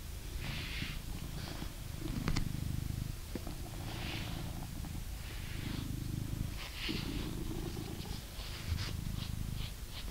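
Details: Blue British Shorthair male cat living in England purrs while being brushed indoors: a deep, pulsing purr that swells in bursts, interrupted by scratchy brush strokes and a few clicks.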